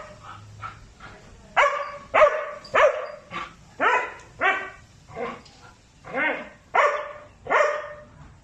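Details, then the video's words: Very aggressive gray sable Belgian Malinois barking in a steady series of about a dozen sharp, loud barks, each roughly half a second apart, with little other sound. "A very aggressive Gray Sable Belgian Malinois"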